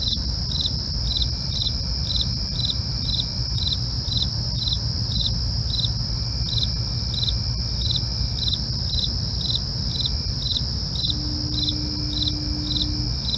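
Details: Nighttime cricket chorus: rapid, evenly spaced chirps about twice a second run over a constant high-pitched trill. A brief low hum appears near the end, and a low rumble persists.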